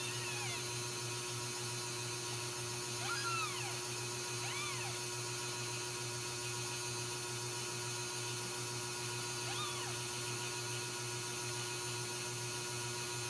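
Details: Ragdoll kittens raised in a home cattery in central Kansas give a few faint, thin mews that rise and fall, heard at wide intervals over a constant electrical hum.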